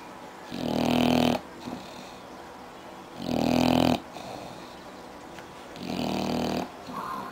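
An English bulldog snores loudly in long, rasping breaths roughly every two and a half seconds.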